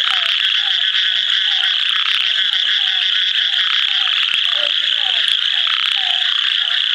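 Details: Calling ornate narrow-mouthed frog recorded near Kadur, India: an unbroken high rasping drone, with soft, low downslurred notes in a loose series and a few deeper notes midway.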